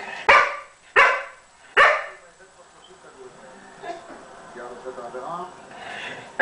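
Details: An English Springer Spaniel play-fights with a cat on a couch. It opens with three loud, abrupt barks under a second apart, then faint whines and soft harmonic mewing sounds.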